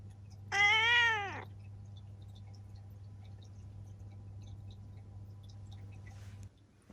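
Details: Ciel, a seven-year-old female black cat kept indoors in Japan, gives one clear meow near the start, rising then gently falling, followed by a steady low hum and quiet room sounds.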